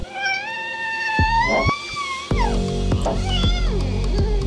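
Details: Domestic cat giving a long, drawn-out meow that rises slowly in pitch over about two seconds, then softer lower calls, all over steady background music with percussive beats.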